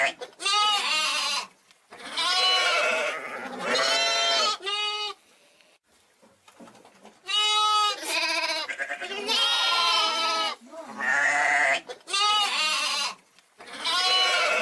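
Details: Young sheep, lamb or hogget, repeating nasal, quavering bleats, about nine calls in uneven bursts with a quiet pause near the middle, each call loud and tremulous.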